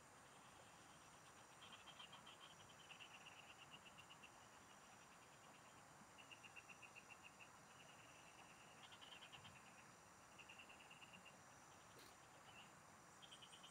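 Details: Field frogs chorusing during a fishing outing. Rapid pulsed, rattling trills about a second long recur every few seconds amid constant high insect drone, with one brief sharp click near the end.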